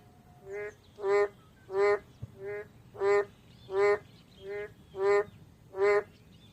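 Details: Boreal digging frog calling: eight nasal, honking notes, each short and rich in harmonics, repeated about every 0.7 seconds at a steady rhythm over a faint low hum.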